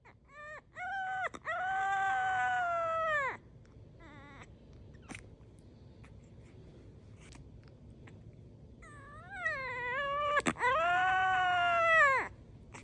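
A French Bulldog puppy gives long, high, wavering whines that swell and fade, with quiet gaps between.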